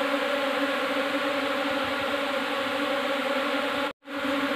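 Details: Asian honey bees, Apis cerana indica, a new swarm arriving in a hive box, give a dense steady buzzing hum with a strong low tone and its overtones, cut by a brief silent gap near the end.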